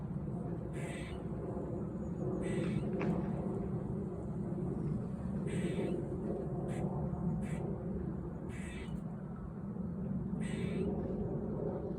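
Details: A squirrel in a park in autumn gives loud, harsh barking calls about every two seconds over a steady low rumble.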